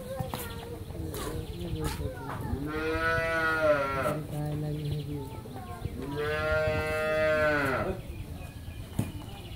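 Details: Friesian dairy cow on a farm in Bangladesh, recently calved for the second time and kept with a heifer calf, gives two long, harmonic moos, each about two seconds, with people talking in the background.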